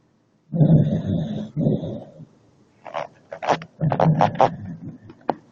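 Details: Leona, a pet dog, snoring: two deep, rough, rasping breaths about a second each, followed by shorter snorts and sharp clicking mouth noises.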